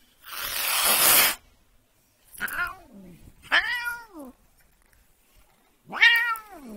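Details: Annoyed domestic cat lets out a harsh breathy hiss, then three separate short meows, each dropping in pitch, spaced a second or more apart with quiet gaps between.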